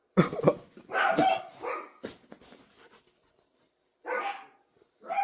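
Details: Dog barking in loud, harsh bursts, a rapid cluster in the first two seconds, then a pause and two more sharp barks, with indoor room acoustics.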